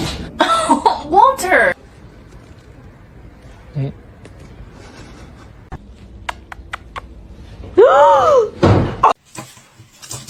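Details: Kitten meowing indoors, with drawn-out arched meows near the start and again near the end, each rising then falling in pitch. Between them come quiet clicks and thuds, with people talking and laughing around the calls.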